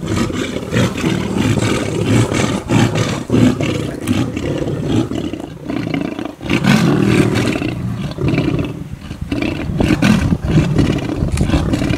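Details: Wild lions fighting over a buffalo kill: continuous deep rumbling growls and snarls, low and rough, swelling and fading in long overlapping bursts with brief pauses.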